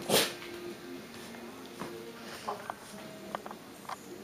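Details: Six-week-old shiba/shih tzu puppies with their mother: a sharp noisy burst at the start, then faint, short high whimpers and thin squeaky whines scattered over a few seconds.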